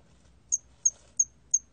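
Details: Hairy cricket chirping, 2020 collection: four brief, thin, high-pitched ticks at a steady beat of roughly three per second, with faint low rumble underneath.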